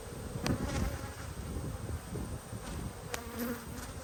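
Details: Worker honey bees humming around brood frames during a hive inspection on 19/3/22; a low, even drone with a fainter upper band, broken by sharp clicks and scraping from the beekeeper's handling.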